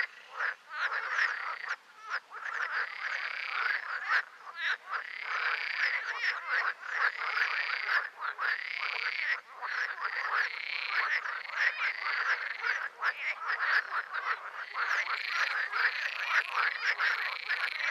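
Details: Chorus of green frogs (Pelophylax): loud, nasal, arched croaks repeated roughly every second, overlapping with constant rapid rattling from other frogs around them, forming a busy, unbroken din.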